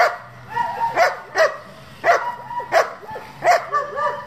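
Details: German Shepherd barking from a working group of the breed kept for breeding and competition: sharp barks about every half second to second, mixed with high whining tones between barks.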